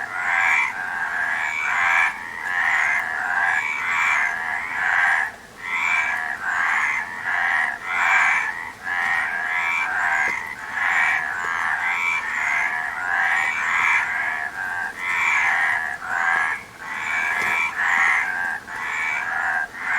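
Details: Many frogs croak together in a steady, unbroken chorus of rapid overlapping calls that pulse in short waves for twenty seconds, easing off briefly around the five-second mark.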